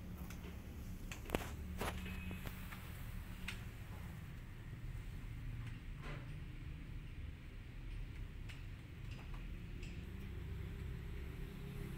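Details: A quiet indoor room with soft footsteps, light knocks and faint handling noises, and no meowing.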